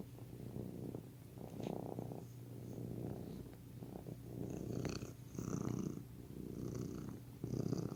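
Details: Pet cat purring indoors, a continuous low vibrating rumble that swells and fades with each breath roughly every one to two seconds, with faint soft clicks and rustles in the background.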